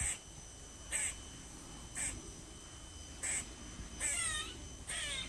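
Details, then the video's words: A squirrel gives short, harsh, bird-like barks about once a second, some ending in a rising squeal, over a faint steady high hum. "Squirrel making a bird noise"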